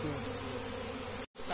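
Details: Thousands of honey bees swarming around a hive as it is moved by hand. A dense, steady droning hum sits in low stacked tones and is sustained throughout, with a sudden brief dropout near the end before the buzz resumes.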